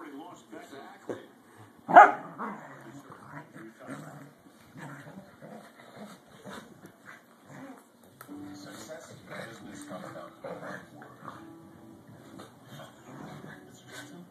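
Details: Two corgis at play, vying for dominance: one sharp, loud bark early on, then a steady stream of softer, rough growling and play noises throughout, with voices and some household sounds mixed in.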